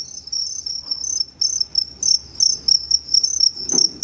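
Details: At Tama Zoological Park, Japan, on 29 September 2015, two-spotted crickets make two different kinds of calls; shrill, rapid chirps run almost continuously, with a soft low thump near the end.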